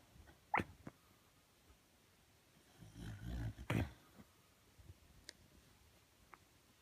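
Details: Shiba Inu named Sakura, asleep with eyes rolled back to the whites, talking in its sleep: a low, grumbling rumble lasting about a second, with brief sharp clicks before and after, in a quiet room.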